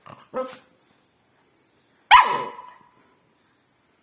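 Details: A pet dog gives a short, soft bark, then a single loud, sharp bark with a ringing, falling tail. Another bark starts at the very end.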